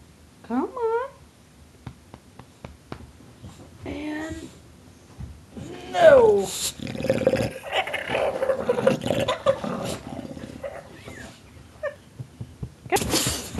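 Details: Tulip the bulldog indoors, growling, snarling and gobbling like a turkey: short wavering yelps with sweeping overtones, then rough rumbling growl stretches, with a person's coaxing voice and handling noise throughout.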